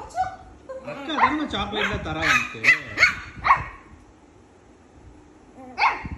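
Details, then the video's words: Shih Tzu puppy play-fighting with its sister: a rapid run of high whiny yips and squeals mixed with low growls, then a pause before one final sharp yip. "Shih tzu puppy fighting with his sister"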